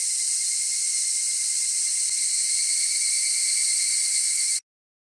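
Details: Clean cicada buzzing, a bright continuous whirr high in pitch with no low background noise, holding steady for about four and a half seconds before stopping abruptly into silence.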